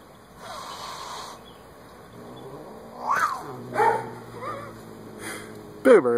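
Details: Boobers, a Siamese cat, grows angry with Buster the bunny, giving a few drawn-out, wavering yowls and growl-like moans that rise and fall, spaced about a second apart, with a person speaking softly in between.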